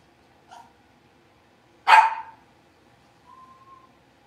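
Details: Blenheim Cavalier King Charles Spaniel puppies, a litter of five born on New Year's, in their puppy pen: a faint yip, then one sharp, loud bark, followed by a soft, thin whine.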